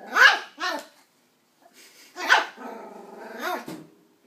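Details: Nine-week-old West Highland white terrier puppy barking at an empty coke bottle: two sharp, high yaps, a pause, then a louder yap that trails into a drawn-out whiny growl and ends with a final short yip.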